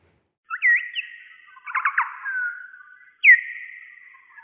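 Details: Noctule bat; echolocation call; echolocation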